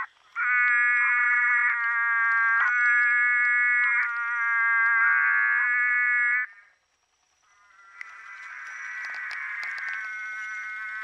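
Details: Rainforest frogs from SE Brazil, several species compiled, give loud, buzzy, harmonic-rich notes in long sustained bursts.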